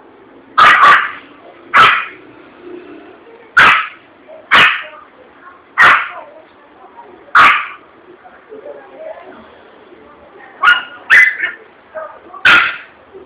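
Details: Frightened Yorkshire Terrier in a shop gives sharp, high yelping barks in uneven bursts after a balloon bursts.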